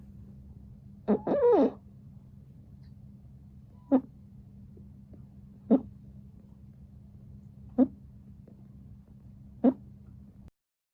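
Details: A sleeping Exotic Shorthair cat snores; the breed is described as flat-faced and often a snorer. Short, rasping snorts come about every two seconds, with a louder snuffling burst near the start, over a steady low indoor hum.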